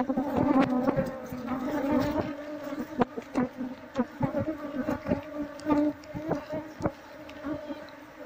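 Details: Honey bees from a colony built inside a wall, hive comb being scraped out with a knife to find the queen; continuous humming drone under repeated sharp tapping and scraping clicks, loudness rising and falling.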